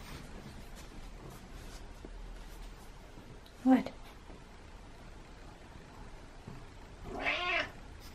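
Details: Domestic cat meowing because it wants into a closed-off room indoors. A single drawn-out, harmonic meow comes near the end after a long quiet stretch, with one sharp knock earlier and faint room noise.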